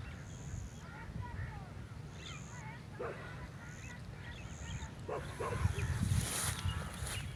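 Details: Three street dogs fighting on a rainy day in Relsansup: a few sharp barks come mid-way, then a louder burst of barking near the end, over steady low rumbling background noise, with earlier harmonic calls and high thin tones.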